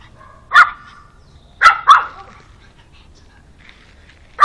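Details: Pug Alfa with a new dog friend met only yesterday; a few loud, sharp single barks, one isolated, then a quick pair, then another at the end, with silence between.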